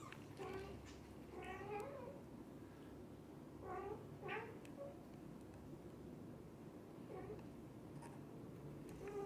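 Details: Domestic cat family indoors, a mother cat with her kittens and the father cat staying beside them: a run of short, high, harmonic meows in two close bursts early on, then scattered softer mews over a steady low hum.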